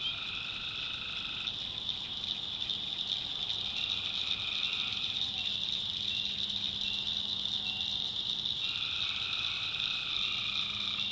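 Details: Swamp at night in the North Carolina backwoods, many tree frogs calling together: an unbroken high trilling drone, with lower buzzing trills entering and dropping out at irregular intervals, plus a faint low hum.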